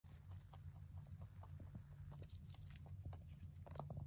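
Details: Male mini rabbit born November 2020 eating hay: rapid crisp crunching clicks in quick irregular runs, steady low hum underneath throughout.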